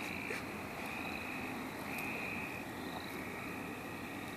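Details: Frogs calling in the St. Olaf College Natural Lands while people catch them: a chorus of steady, high, thin trills repeating in stretches of about half a second to a second, over a constant broad hiss, with faint voices.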